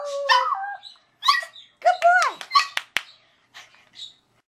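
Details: Toy Poodle howling after performing tricks for its owner: a string of wavering, whiny howls and yelps sliding up and down in pitch, with short breaks between bursts.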